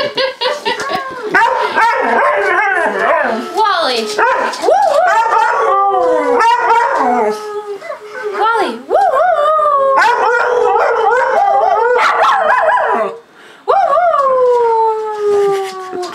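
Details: Boxer/Malamute mix howling with a Schnoodle, set off by a recording of Alaskan Malamutes howling at a siren. Choppy howls are mixed with short yips, then a short pause before one long, slowly falling howl.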